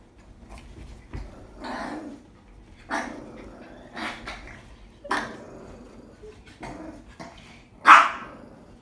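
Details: Shih Tzu and Dachshund face off, giving a string of sharp, noisy barks roughly every second, some with growly edges, ending in one loud bark.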